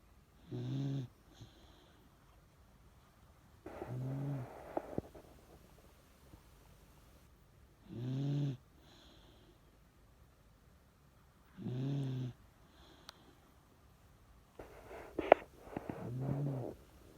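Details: Old Miniature Dachshund Chage snoring in his sleep: five steady, grating snores come about every four seconds, each under a second long. Light clicks and small knocks are heard near the last snore.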